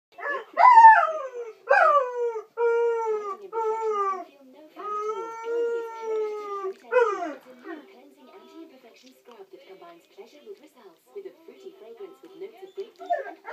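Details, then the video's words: Family Irish Setter howling in the morning after the owner has gone out: a string of wavering, falling howls and yelps, each a second or so long, for about seven seconds, then trailing off into soft whimpers and murmurs. "Irish Setter howling!"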